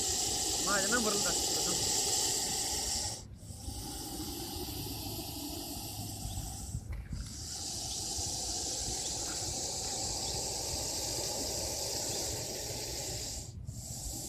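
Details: Russell's viper hissing loudly in a long, sustained, breathy rush broken by three short pauses, with faint human voices near the start.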